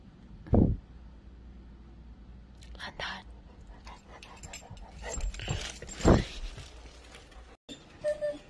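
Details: Duke, a pet Samoyed, waits indoors with London the St. Bernard, excited to go out after hearing his owner's voice on the phone. Two loud, strained, yowling vocal bursts, one at the start and one near six seconds, with softer murmurs and rustling between.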